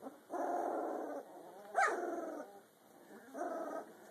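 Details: A Rottweiler mix puppy, 2 weeks and 2 days old, gives drawn-out, nasal grunting whines with one sharp rising squeak.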